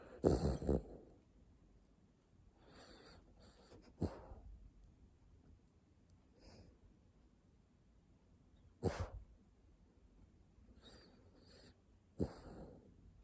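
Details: Dog named Jjanga sleeping soundly, breathing out in soft snores and snorts, with a few louder sharp puffs at about 4, 9 and 12 seconds between quieter breaths.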